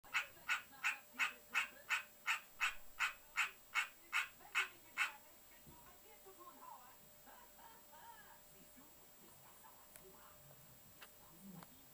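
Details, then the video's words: A pet male green tree frog (Hyla cinerea) calling: about thirteen loud, nasal, honking croaks at an even pace of roughly two per second, then stopping after five seconds, leaving faint room noise and soft rustling. "Hyla cinerea croaking"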